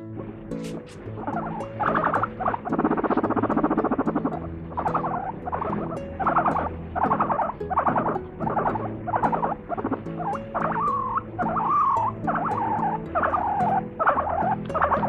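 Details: Pet guinea pig making its so-called laughing sound: rapid chattering bursts repeated roughly once a second, with a denser stretch early on, over faint steady background tones.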